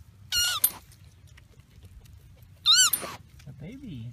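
A young koala gives two short, high, wavering squeals, with a person speaking softly nearby.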